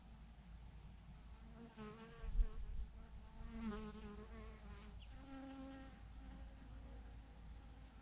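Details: Swarm of thousands of honey bees hanging in a massive clump on a branch; individual bees zip past with wavering, rising-and-falling buzzes over a constant low hum of the mass.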